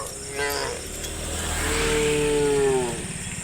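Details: Tame cows, one of dozens roaming a road, calling to their herd mates to go looking for grass: two drawn-out harmonic moos, the second long, steady and slowly falling, over a low rumble and a faint steady high hiss.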